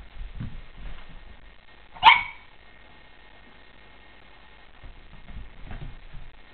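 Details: A newly adopted female Boston Terrier gives a single sharp, bright bark amid quiet background rumble, discovering another Boston Terrier in the mirror.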